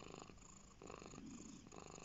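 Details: Domestic cat resting on a lap, purring steadily indoors: a soft, continuous low rumble with fine rapid pulsing, holding an even level throughout the short stretch.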